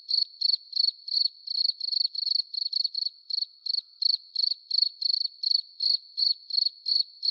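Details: Cricket heard while being attracted to a light bulb: bright, high chirps repeated about three times a second in a slightly uneven but continuous train.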